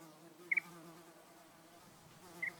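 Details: At Uluru in Australia's desert Red Centre, a fly's steady, low droning buzz hums throughout, with two brief high chirps from a bird cutting in.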